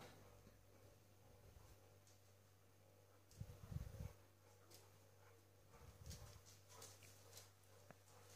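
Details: A Cane Corso defending a kitten from another Cane Corso gives deep, rumbling bursts, two brief clusters of low throaty sound separated by a few seconds of quiet, with faint clicks and room noise behind.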